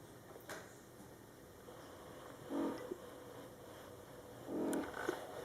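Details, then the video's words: Mother cat Coco talking to her Scottish Fold kittens, born July 22, 2012, during their first month; two soft, low, murmuring calls about two seconds apart, each with a brief higher tail, against quiet indoor hiss. "Mom Cat Talking to her Cute Meowing Kittens"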